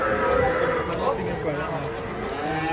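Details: Giant cattle being unloaded from a truck, one lowing a steady, drawn-out harmonic moo while people talk nearby.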